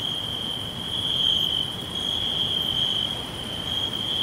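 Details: Crickets whispering all round in a natural forest: one sustained piercing trill with slight shifts in strength, light upper buzzing, and a low, grainy background hiss.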